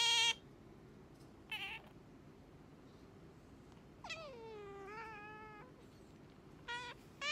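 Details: Pet otter calling to rouse its owner in the morning: short sharp squeaky chirps spaced a second or more apart, one drawn-out whining squeal that falls then levels off, then more brief chirps, all against a quiet indoor background.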